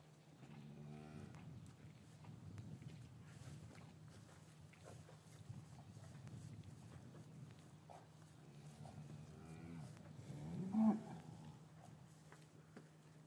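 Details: Cows lowing in a traditional English cattle yard on a winter afternoon after the calves were separated from their mothers; deep harmonic moos near the start and again around nine to eleven seconds over a steady low hum.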